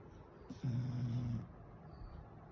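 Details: A sleeping beagle, thought to be having a nightmare, gives a low, steady, droning groan lasting just under a second.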